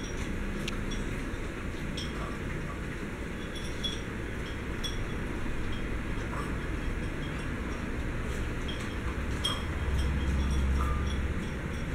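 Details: Steady rumbling noise with scattered clinks and faint voices, no barking or other animal calls.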